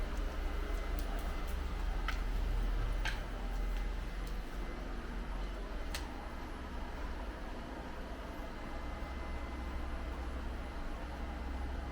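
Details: Constant low electrical hum and room noise, broken by a few faint ticks and clicks, with no animal sound.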